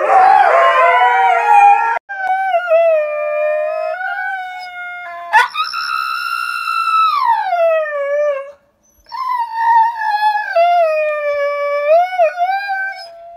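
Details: Siberian Husky howls in long, smooth notes that slide and dip in pitch, separated by brief pauses. One note swoops sharply upward before gliding back down. A rough, noisy vocal burst opens the sequence.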